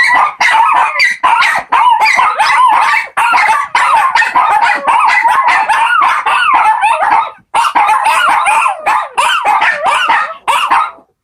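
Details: Four Shih Tzu puppies singing as a group: short, choppy yelps and wavering howl fragments come in quick bursts, closely spaced and overlapping, and stop briefly near the seventh second.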